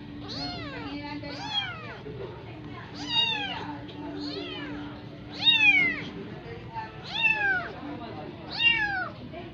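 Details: Persian kitten, adopted, being made to nurse from a cat that is not its mother, gives six high, arching, wavering meows spaced about every one and a half seconds, with a steady low hum underneath.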